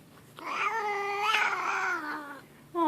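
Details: Leo, a grumpy house cat, lets out a sustained grumbling caterwaul for about two seconds, a wavering, harmonic-rich yowl that sags in pitch toward its close, with a brief start of another sound at the end.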